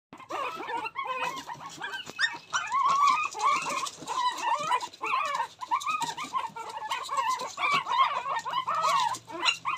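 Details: Male Shih Tzu puppies: many high, quick overlapping yips and whimpers, rising and falling squeals chattering continuously without pause, several pups calling at once.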